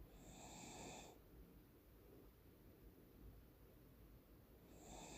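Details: Morning snoring from Deokbae, a Cocker Spaniel fast asleep: one long raspy snore of about a second opens, then quiet breathing, then the next snore begins at the very end.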